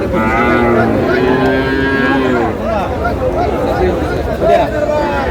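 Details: Sahiwal bull calves at a Chattogram cattle market in Bangladesh: long, even lowing moos in the first seconds, then shorter overlapping calls mixed with buyers' and sellers' voices and market chatter.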